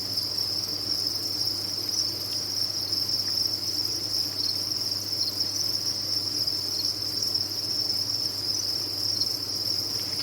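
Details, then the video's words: Crickets kept on a cricket farm, many calling together: a dense, steady high-pitched trill that never pauses, a continuous shimmering chorus with no separate chirps, over a faint low hum. "Sound of a Cricket Farm"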